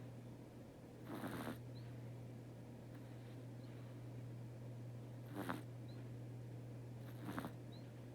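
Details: Domestic cat Teto asleep indoors on a Saturday, snoring in soft, breathy, rasping bursts, three spaced irregularly over eight seconds, above a steady low electrical hum.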